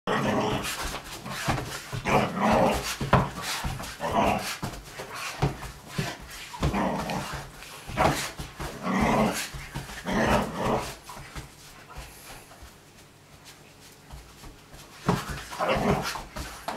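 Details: Slightly older Vizsla playing wildly indoors in a small room, giving rough growls and short barks in bursts, loud then quieter, with a pause near the end before more growling and scuffling.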